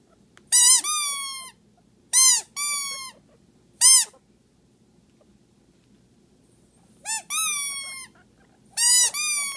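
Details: Guinea pig meeting a plastic rat at Halloween: loud, harmonic-rich whistling squeals, each starting high and sliding slightly downward, in bursts of one to three long calls separated by silent gaps of a few seconds, no other sounds.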